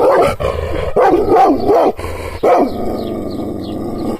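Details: Angry Kangal, an Anatolian shepherd dog, barking while provoked by hand gestures without being touched. Deep, harsh barks come in bursts, including a quick double bark, then taper into quieter rough sounds at the end.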